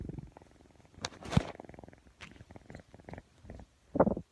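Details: Persian kitten purring while yawning and playing with a camera; louder close rumbling pulses broken into short bursts, with a few sharp rustling knocks and a strong burst near the end.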